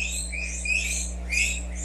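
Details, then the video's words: Pet guinea pigs squeal with high, rising wheeks over a steady low hum; they squeal like this when they hear a plastic bag open, expecting greens or vegetables. "you hear that squealing those are my guinea pigs"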